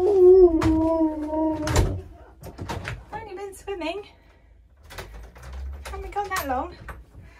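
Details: Indoors and caught on hidden camera, a husky crying with joy as its owner is almost home opens with a sustained wavering howl, then breaks into short bent whines between bangs, with a voice speaking.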